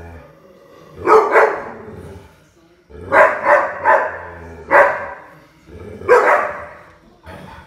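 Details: Playful puppy with quick paired and tripled yaps separated by brief pauses, a steady low drone underneath.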